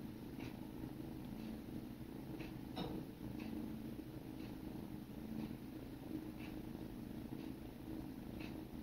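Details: Sibling kittens grooming each other, a low, steady rumbling purr running unbroken through the whole recording, with faint soft ticks recurring roughly every second over it, quiet indoor room.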